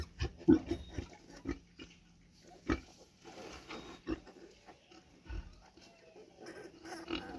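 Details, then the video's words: Mother pig with piglets on a street, short grunts and oinks in scattered bursts, with quiet background noise between calls. "PIG SOUND|| MOTHER PIG WITH PIGLET"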